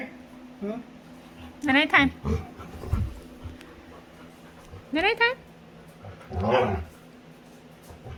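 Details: A playful female Labrador retriever lets out high, rising whiny squeals in three short bursts, the last one lower and more moaning, while playing with her owner indoors.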